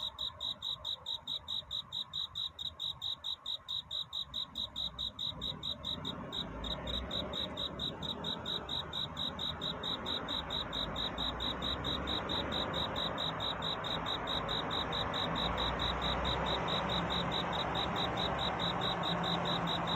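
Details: Cricket chirping through the night in courtship song before dawn: rapid, high, even chirps about twice a second, clear at first, then increasingly buried under a swelling broad rushing noise.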